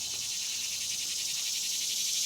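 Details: Cicadas drone in a steady, high, pulsing buzz on a warm summer morning in a Tennessee garden.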